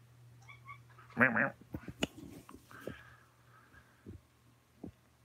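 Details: Alabama kittens and a tabby in a close-up filmed on 28 May 2018: a brief harmonic mew burst mid-clip, preceded by a few faint thin mews, with soft thumps and a low steady hum throughout.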